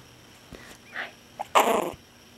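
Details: Gordon, a six-week-old Chihuahua puppy, gives one harsh, noisy burst lasting under half a second. Faint soft whines come just before it, in a quiet room with a steady low hum.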